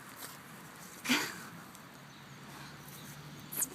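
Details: Swedish pigs sneezing: a sharp, explosive broadband burst just after one second, then a second shorter sneeze near the end, over a quiet low hum.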